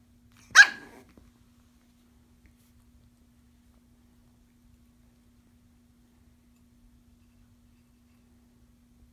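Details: Japanese Chin puppies: one sharp, bright bark right at the start, followed by near silence for the rest.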